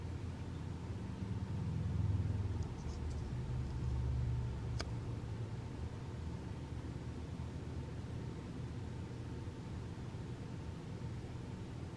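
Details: Steady low rumble like a passing car in a small room, with one sharp click near the fifth second and no animal voice.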